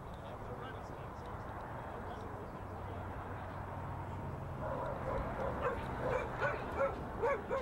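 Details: Pyro, a two-year-old Border Collie working cattle for the first time in November 2016, gives a run of sharp, rapid barks in the second half, rising over a steady low rumble that fills the opening seconds.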